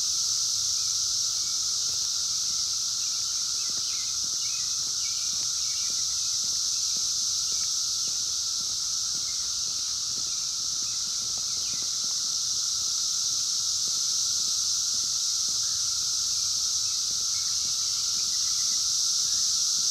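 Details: Periodical cicadas of 17-year Brood X emerging in the wild in 2021, captured on a phone: unbroken shrill buzzing chorus at constant level, with a low steady tone and faint scattered ticks and rustles.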